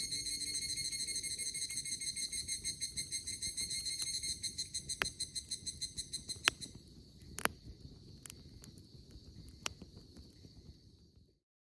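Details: Evening cicada starting to sing on a late-summer camp morning in Izu, Japan, near a bonfire: high, rapidly pulsed trill that gradually weakens and fades out, punctuated by loud crackles and snaps of burning wood.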